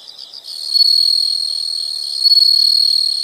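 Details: Insects singing in a natural setting: a sustained, sharp, high-pitched buzzing trill rises in loudness after a soft start and continues evenly, with slight swells in volume.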